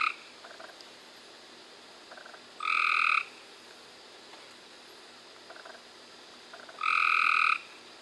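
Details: Two bright, buzzy trills from Cope's gray treefrogs in May 2016, about four seconds apart, with softer, more distant trills from other frogs faintly audible between them.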